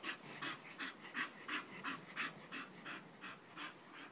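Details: Steady, rapid panting from Nelson the Bull Terrier: even, rhythmic breathy puffs, close to three per second, clear and close with a quiet background.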